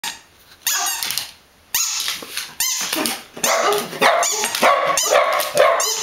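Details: Several dogs barking: loud, harsh bursts that overlap and follow one another about once a second, some sharp and short, others longer and rougher, with hardly any quiet between them.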